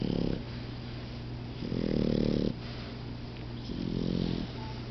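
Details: Two napping puppies snore, recently cured of red mange: low, rumbling harmonic snores in three drawn-out breaths about two seconds apart, with a steady low hum underneath.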